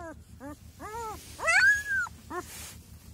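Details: Week-old Kangal puppies whimpering: several short arched whines, then a louder whine that rises and holds level for about half a second, and a final short whine, over a steady low pulsing mechanical hum.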